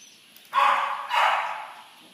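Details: Corgi dog barking twice in quick succession. Each bark is harsh and broad, the second slightly longer and fading out.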